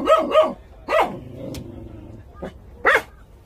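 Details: Young Jindo dogs of the Korean National Dog Association give a few short, sharp yips in quick pairs, then a quiet stretch and one last bright yelp.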